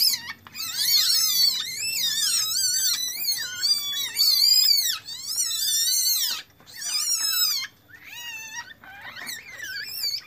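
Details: High, wavering squeals from captive Asian palm civets around the birth of three young, bred from a brown Bali male and a normal female; long harmonic cries rise and fall in dense overlapping runs, then fade.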